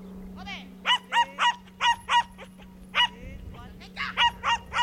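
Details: Young Schipperke at a herding training course in September 2010, giving rapid bursts of sharp, high yapping barks with a short whine at the start, a person's voice and a steady low hum in the background.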